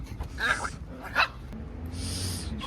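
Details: Young Shiba Inu during tug play on a walk gives two short, sharp yips about 0.7 seconds apart. A soft hiss of background noise and a human voice follow.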